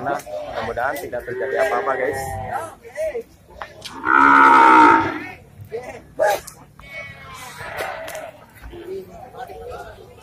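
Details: Indian bull brought into the Pasar Wage Bumiayu animal market, raging on arrival, shortly after Eid al-Fitr 2022; one loud, sustained bellowing moo of about a second near the middle, with men chatting before and after.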